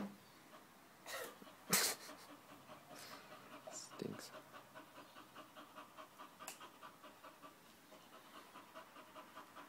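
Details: English bull terrier indoors, described as uncontrollable, panting in quick, even breaths for several seconds, with a sharp knock near the start and a man talking briefly.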